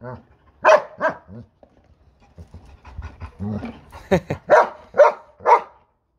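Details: German Shepherd arguing with a lawn mower: a person talks at first, then the dog gives a series of loud, deep, harmonic barks, about four in quick succession near the end.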